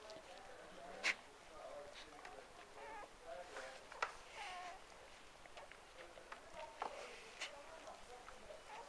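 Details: Newborn Cocker Spaniel puppies from a litter of six give soft, thin squeaks and whimpers that waver up and down.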